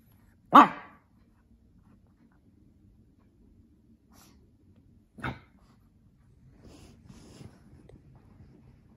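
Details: Playful Shih Tzu/Pekingese cross dog indoors in the afternoon with a lion cub toy, known for snorting; two sharp, short bursts about four and a half seconds apart, the first loud, then faint rustling in a quiet room.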